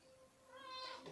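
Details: House cat calling at feeding time, one of several pets present: a brief rising meow building toward the end of the clip, rather faint and cut short, with low room noise beneath.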